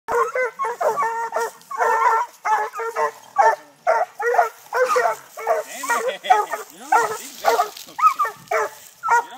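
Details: Six-month-old Treeing Walker Coonhound puppies barking at a live-trapped raccoon up a tree during hunting training in Texas: rapid, overlapping bawling barks roughly twice a second from several dogs, without pause.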